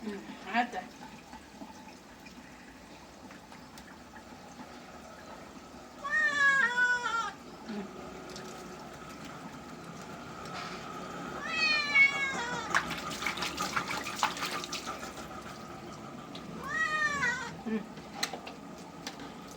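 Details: Cat being bathed, giving three drawn-out harmonic meows, each about a second long, spaced several seconds apart, with a rising-then-falling wail in the middle; running water and background music throughout.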